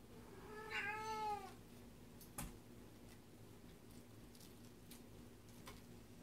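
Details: A cat with tape stuck on her face gives a single drawn-out meow, rising then falling, followed by a sharp knock and quiet room sounds.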